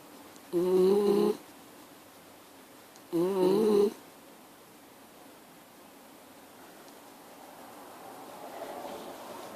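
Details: Snoring Miniature Schnauzer in a quiet room: two short, humming, wheezy tones about three seconds apart, each with a slight upward bend, then several seconds of soft background hiss.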